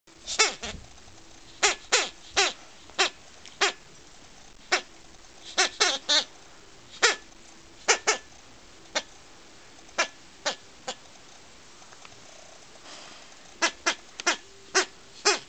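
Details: Akita puppy relentlessly attacking a toy bee, giving short sharp high yips and barks scattered irregularly, some in quick pairs or clusters, separated by quiet pauses.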